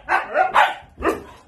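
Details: Pet Siberian Husky "talking": three short, rough yowling vocal bursts in quick succession, the first two close together and the third after a brief pause, with a person speaking nearby.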